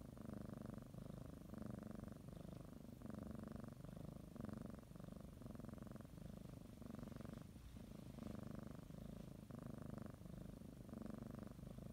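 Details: Domestic cat purring steadily while kneading and biting a blanket before a morning nap; low continuous rumble in alternating inhale and exhale phases, each lasting about a second, with no other clear sounds.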